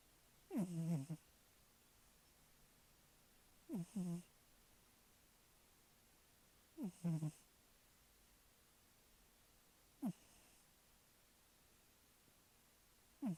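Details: Rhythmic snoring from a sleeping cat: low, gravelly, falling breaths about every three seconds, several split into two quick pulses, against a quiet background.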